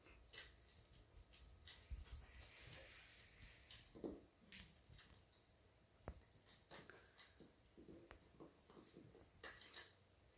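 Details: Two Weimaraner puppies, eight and nine weeks old, play keep-away indoors with a rattle toy. Short whimpers and soft grunting sounds come in bursts, mixed with toy rattles, clicks and scuffling in a small room.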